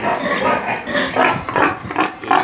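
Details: Pigs on a pig farm give a run of rough, noisy grunts and squeals in uneven bursts, some louder than others, with a steady background hum.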